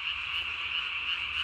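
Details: Night chorus of Japanese tree frogs, recorded 3 May 2020, callers puffing a throat vocal sac almost as big as the body; steady, continuous high buzzing trill with no breaks or other sounds.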